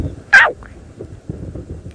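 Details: A male cheetah, one of a group of five males, makes a single sharp, high, bird-like chirp after being attacked in a brief, almost playful scrap, over strong howling wind at sunset on 22 November 2017 in a South African reserve.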